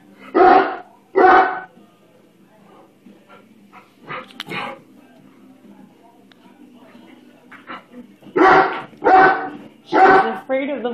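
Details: Frightened 135 lb female Great Dane barking at a bubble blower stick: two loud deep barks, a quieter stretch with soft sounds, then three more heavy barks close together near the end.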